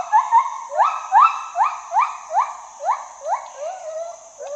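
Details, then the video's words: A gibbon gives rhythmic whoops that glide upward, about two or three per second. The notes start strong and gradually fade and lower toward the end. "Gibbon Monkey Sound"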